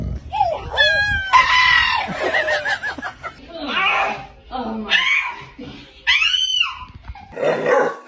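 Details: Pet dog "talking" indoors: drawn-out, wavering whine-howls that rise and fall in pitch, answering a person who speaks to it affectionately between the vocalizations.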